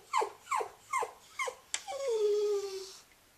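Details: Scruffy, a female Cairn Terrier, whines over her toy hedgehog: four short, falling yelps followed by one long, drawn-out whine that slowly sinks in pitch.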